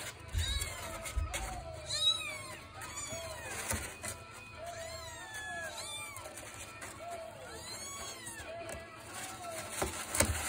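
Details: Six British Longhair kittens, three males and three females, offspring of the cat Harley Quinn, mew repeatedly: high, arched, rising-then-falling cries overlapping from several kittens, roughly one every two seconds, with a low rumbling background.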